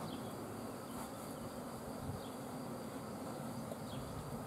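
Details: Dense, even buzzing of a honey bee swarm, a steady broadband hum without breaks, with faint bird notes in the background.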